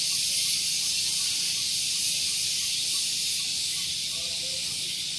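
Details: Cicadas at Gunung Geulis, Bogor, West Java, singing in the morning near parked vehicles: a piercing, steady hissing buzz, slowly fading a little toward the end, with a few faint higher chirps late on.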